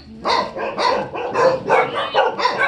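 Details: A Tibetan Mastiff gives quick, evenly spaced barks, roughly every third of a second, each bright and clipped, filling the short stretch; a voice says "okay" right after.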